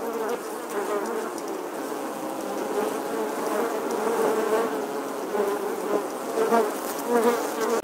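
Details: Honey bees nesting in the stonework of an 11th-century English church wall, filmed in August 2020: a dense, continuous swarm drone centred low and steady, with individual bees' hums weaving in and out, swelling near the end.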